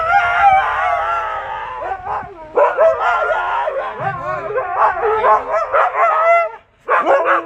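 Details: Siberian Huskies Max and Bombón howl in reaction to a prank in which their owner pretends to abandon them by leaving on a boat; long wavering howls, then choppy yelping bursts, a short pause near the end.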